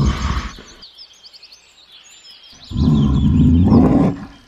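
A bear gives deep, rumbling growls, with small birds chirping high above throughout.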